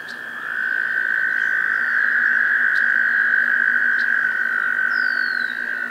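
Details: An American toad gives a long, steady, musical trill on one mid-high pitch for nearly six seconds in a spring swamp in Maynard, Massachusetts, in early May 2024, with faint bird chips from species such as red-winged blackbirds in the background.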